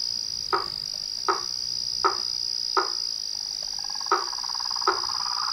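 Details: Toads, frogs and treefrogs calling at nightfall from a pond in front of a house veranda: sharp knocking notes repeated about every three-quarters of a second over a steady high insect-like hum, with a soft trill starting near the end.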